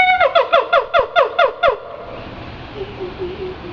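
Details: A siamang at the Henry Doorly Zoo gives a rapid run of loud, harmonic, falling hoots while putting on a show, then trails off into softer notes.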